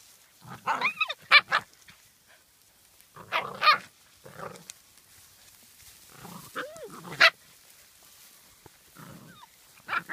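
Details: Welsh Springer Spaniel, a small to medium family dog, giving short broadband barks in four spaced bursts, some with a brief rising whine-like tone, separated by quiet gaps.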